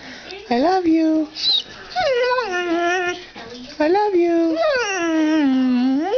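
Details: Pet dog Maggie, trained indoors that day to 'say mom', gives lower drawn-out moaning howls with rising and falling pitch, several long notes, while a woman repeats 'I love you' nearby.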